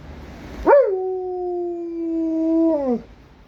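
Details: Howling Alaskan Malamute: a single sustained howl that swoops up sharply, holds a steady tone with harmonics for about two seconds, then slides down and fades.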